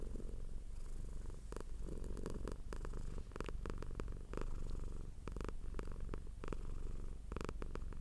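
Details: Domestic cat purring hard: continuous low rumbling purr pulsing steadily throughout, with scattered clicks and rustling taps over it.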